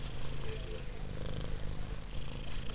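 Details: Taffy the cat, a female with a helicopter-like purr, keeps up a strong, deep, rapidly pulsing rumble throughout, steady and unbroken.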